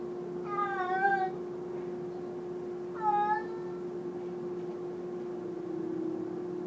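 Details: Indoor domestic cat giving two loud meows, the first longer and wavering, the second shorter and falling, followed by several seconds of quiet hum.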